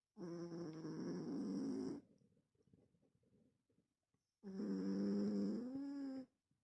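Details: Sleeping, dreaming cat snoring: two loud, buzzy, drawn-out breaths of nearly two seconds each with a high whistling tone over them, and soft rustling in the gap between.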